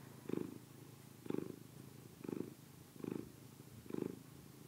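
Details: Domestic cat purring while eating, a low rumbling pulse in five rhythmic bursts about one second apart, steady and close, with a quiet indoor background.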